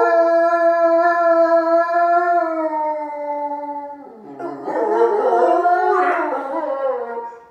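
A wolf gives a long, steady, mournful howl that slowly sinks in pitch.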